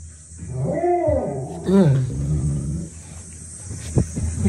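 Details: Great Dane reacting to dogs barking on TV: a deep, drawn-out groaning howl that rises and falls twice in pitch over about two seconds, followed by quieter low rumbling, with a steady high hiss in the background.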